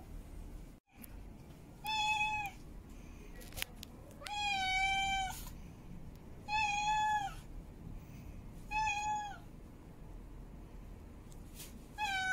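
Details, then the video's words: Repeated mate-calling meows from a female cat in heat, six harmonic calls of varying length, some short and falling, one long and wavering, with clicks and a sharp sound at the end. "Female Cat In Heat Meowing Mate Calling"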